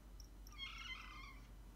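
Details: Domestic cat, Maine Coon or Ragdoll breed, asking to go outside to play, gives one drawn-out, rather soft meow with bright overtones that wavers briefly, then fades, in a quiet indoor setting.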